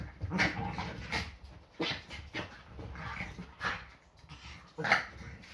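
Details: Yorkshire Terriers play fighting at home on a Sunday morning. Short, panting huffs and breathy yips are spaced about a second apart, with a sharper squeak near the end.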